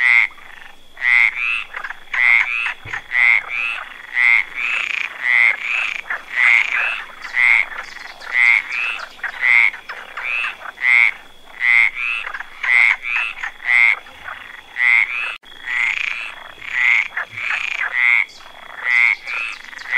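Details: A frog sitting on a branch gives short, high, chirping calls, repeated roughly once a second over a faint steady hum.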